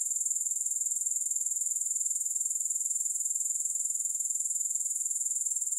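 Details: Continuous thin, high buzzing from grasshoppers, evenly pulsed at roughly four beats per second throughout, with no other sounds.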